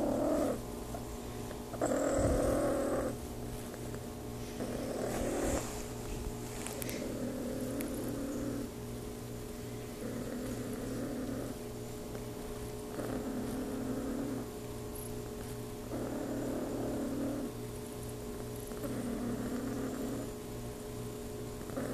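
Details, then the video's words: RagaMuffin cat Claude purring while being petted indoors: a soft, rumbling purr in steady cycles, each inhale and exhale phase lasting about a second and a half, under a constant low electrical hum. "RagaMuffin Claude purring"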